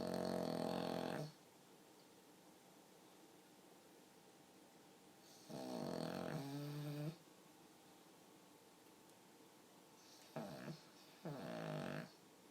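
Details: Snores from a pug that sound almost human: rough, rattling breaths repeated about every five seconds, the second ending with a whistling wobble, then a short snort followed by another snore.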